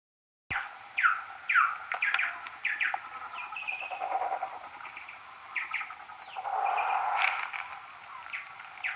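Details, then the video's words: Common noctule social calls recorded beside a maternity roost on an EchoMeter Touch 2 pro, slowed tenfold: a rapid, irregular series of sharp downward-sweeping chirps, some with longer warbling notes, over steady hiss. "Nyctalus noctula social calls next to a maternity roost"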